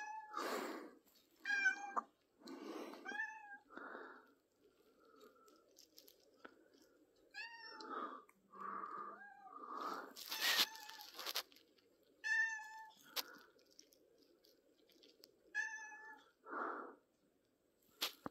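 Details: Pippin the cat meows at intervals in a quiet room, recorded 3rd April 2024; short bright meows mixed with breathy, chirrupy sounds and occasional bursts of rustling noise.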